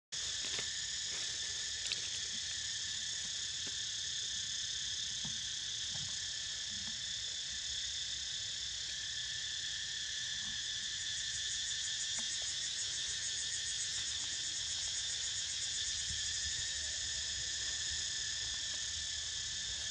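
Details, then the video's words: Cicadas calling while Niko snoozes: a steady, unbroken high-pitched drone with layered shrill bands, holding even loudness for the full twenty seconds, with a few faint low thumps beneath. "Snoozing To The Sound Of CICADAS"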